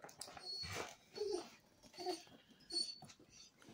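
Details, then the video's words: Basset hound screeching indoors among several household dogs: harsh, breathy bursts with short squealing tones, rising and falling roughly every second, mixed with a man's greeting. "screeching basset"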